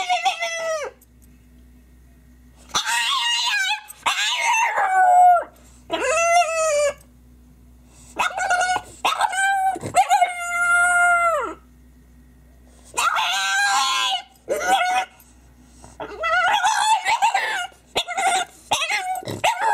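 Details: French bulldog crying: bursts of high, wavering whines and yelping cries with rich harmonics, each lasting about a second, separated by short quiet gaps, repeated through the recording.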